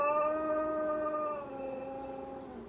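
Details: Long, drawn-out howl of a malamute mix dog, clear and harmonic, drifting slowly lower in pitch and growing softer as it trails off.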